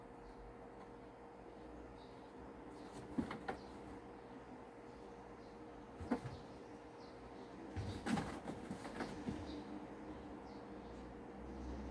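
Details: Scattered wooden knocks and thumps, like cupboard doors or objects bumping, over a low steady hum, with no animal voice.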